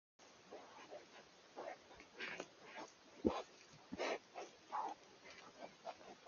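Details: Wild boar in the Eifel forest in early October 2024, recorded on a Coolifepro PH960W camera: a run of short, harsh grunts and squealing bursts, irregular, roughly one every second, with quiet forest background between them.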